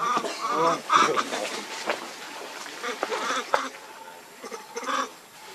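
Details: Baby monkey named Lucie giving a run of harmonic, wavering cries in the first second or so, then softer broken calls and rustling noises.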